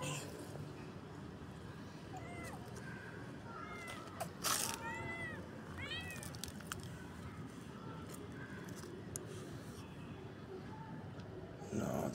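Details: Tabby kitten eating cat food outdoors in a garden with its mother nearby; a run of short arched meows between two and seven seconds, with clicks and a loud broadband knock, over constant street background noise.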